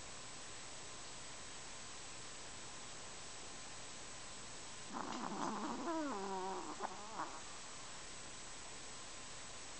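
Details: Snoring Chihuahua named Kenny, one breath of about two and a half seconds: a rough onset turning into a wobbling, whistled drone with stacked overtones, then quiet hiss of an indoor room.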